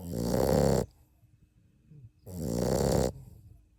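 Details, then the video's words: Tiny 7½-week-old puppy from Kaia's litter snores on a nap; two loud, harsh, buzzing snores under a second long each, separated by a quiet pause of about a second and a half. "7-Week-Old Puppy Snoring Like a Grown Man"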